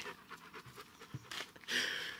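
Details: A Dobermann that does not want to go into the water pants rapidly in quick, breathy bursts, about four each second, before a louder, broad rushing noise takes over near the end.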